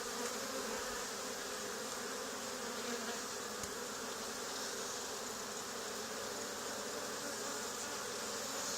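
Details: Swarming honey bees clustered on the wall of an old barn where a hive had been removed two days earlier, giving a dense, unbroken buzzing drone without pauses.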